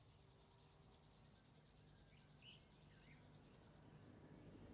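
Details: Grasshopper chirping: a rapid, evenly pulsed, high buzzing trill lasting nearly four seconds before cutting off, with a couple of faint bird notes and a constant low background hum.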